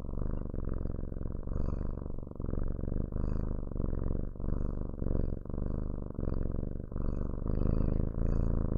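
A domestic cat purrs steadily, a low rumbling vibration rising and falling with each breath.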